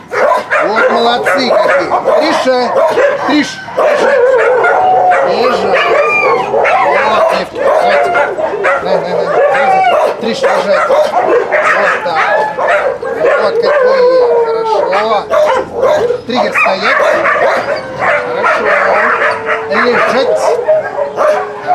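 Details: Many dogs at a husky kennel keep up a long, unbroken din of yips, barks and wavering howls during a recall training session, the chorus staying loud for over twenty seconds with short dips.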